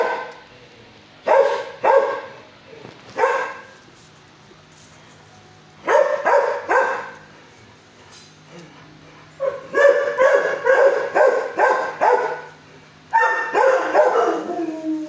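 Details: A six-year-old dog housed in an animal shelter kennel barks at its caretaker: paired barks at irregular intervals, then a denser run of rapid barks near the end, over a low steady hum.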